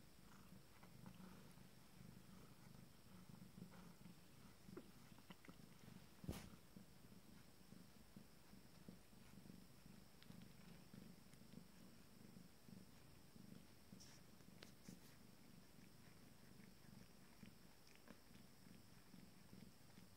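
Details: Purring from an Abyssinian cat grooming its first litter at 19 days old, a steady quiet low-pitched rumble lasting the whole stretch, broken by a couple of sharp clicks and light rustles.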